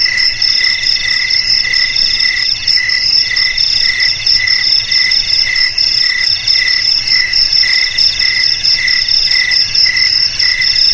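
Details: Crickets keep up a constant piercing chirr of several overlapping high tones, pulsing rapidly from start to finish with nothing else audible.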